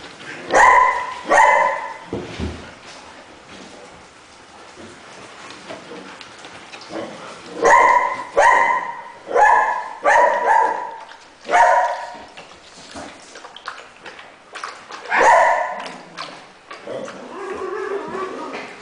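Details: Male neutered Siberian Husky at a rescue shelter, born around 2011, sociable with other dogs; loud harmonic barks and drawn-out howling yips in irregular bursts with quiet gaps between.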